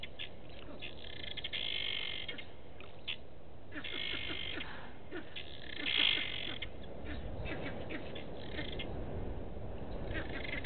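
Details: Alarm calls of a vervet monkey reacting to a male leopard in bushes at Gowrie dam, Djuma Game Reserve, South Africa, 27 August 2018, 15:12; bursts of harsh chatter, one louder near the middle, over low continuous background rumble.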